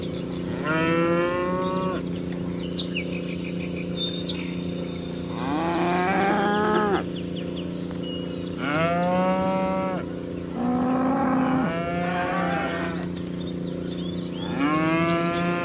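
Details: Dozens of cows being herded across a meadow give long, drawn-out moos that overlap and answer one another, with faint bird chirps.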